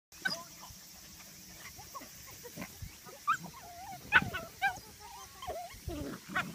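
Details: Medium poodle puppies playing at hunting against a lion, giving short squeaky yelps and whiny bent squeals in scattered bursts over soft growly rumbles, with several pups calling at once.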